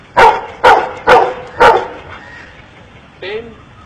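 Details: A dog in India being taught by its owner to count gives four sharp, loud barks spaced about half a second apart, then falls quiet apart from a faint, brief tonal sound near the end.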